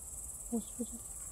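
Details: Great green bush-cricket found in grass and identified by its legs: a steady, very high, hissing stridulation runs unbroken through the whole stretch, with a few soft low thumps and a brief voice in the background.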